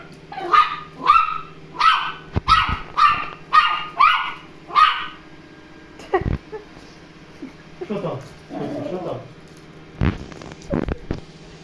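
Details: Toy terrier barking at a robot vacuum cleaner on first meeting: a rapid run of seven sharp, high yaps about half a second apart, then quieter rustling, thumps and a person speaking.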